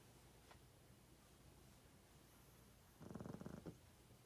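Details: A 12.5-year-old male pug snores once while asleep, a short fluttery rasp lasting under a second that pulses rapidly, after a stretch of quiet background hiss.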